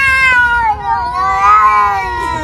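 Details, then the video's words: Noisy unneutered cat giving a loud, drawn-out wavering yowl with rich harmonics, the pitch dipping then rising and sagging again across the whole stretch; faint background music. "I have never found a cat so noisy and violently beating"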